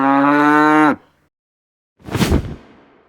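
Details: Cow. A cow lets out a single low, rich moo, held evenly for almost a second before falling away. After a pause comes a brief burst of rushing noise.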